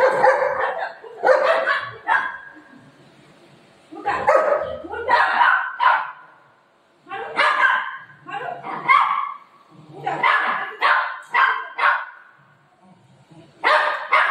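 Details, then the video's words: Pet dog Buzo angry at its owner, mummy, barking in loud, harsh bursts: clusters of sharp barks separated by short pauses, about a dozen barks over fourteen seconds, with a few softer yelps between. "Buzo ne mummy per Aaj gussa Kiya"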